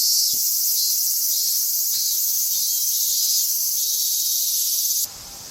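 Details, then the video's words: Loud cicada song on an August summer day on the outskirts of Tokyo, Japan: a continuous shrill, high buzzing drone with gentle pulsing, cutting off abruptly near the end to a quieter background. "Voices of Cicadas"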